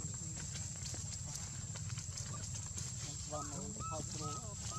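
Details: Baby monkey Lucie cries after losing its mother. Late in the clip comes a quick run of short, arched, wavering cries. A heavy low rumble and a constant thin high whine run through the whole clip.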